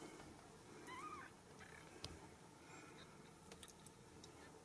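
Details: Ragdoll kittens born and raised uncaged inside a home cattery in central Kansas; one short, thin, high mew that rises then dips, fairly faint, against quiet indoor room hum and a few soft clicks.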